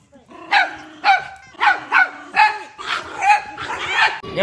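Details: Pet Chihuahua giving rapid, high yapping barks, about seven in under five seconds, evenly spaced and bright in tone.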